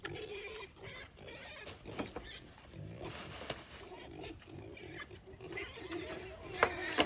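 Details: Wild boar in Barcelona grunting and snorting in short, irregular bursts, with some background chatter.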